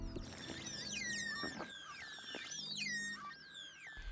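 Dolphins trade a tangle of high, sweeping whistles as they communicate with one another.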